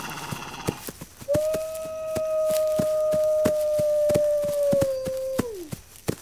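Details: Single wolf howl, a long steady drawn-out tone held for about four seconds before dropping away at the end, over a background of sharp intermittent clicking sounds.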